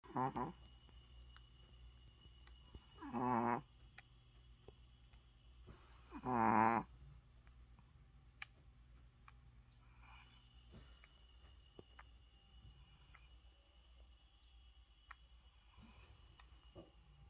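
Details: Shih Tzu asleep indoors with its eyes open, snoring: three loud, raspy, harmonic snores roughly three seconds apart in the first seven seconds, then only soft breathing under a faint steady electrical hum.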